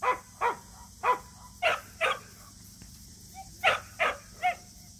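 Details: Samoyed barking at a local match show, its first time entering one with a companion Samoyed: sharp, bright barks repeat in a loose rhythm, about nine in five seconds, each a short burst over a steady background hum.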